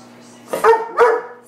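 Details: A Weimaraner talks back with two short, rising, moaning barks after being told to sit, complaining because he is not getting any turkey.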